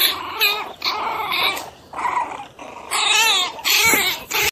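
Small Pinschers give shrill, snarling barks in short angry bursts, with a wavering, growly edge.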